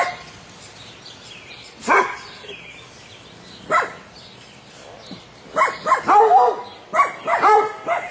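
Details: During a meeting between Lilly, an Airedale puppy, and three Weimaraners, single sharp barks ring out about two seconds apart, then a tight cluster of quick barks. A steady faint tone runs underneath.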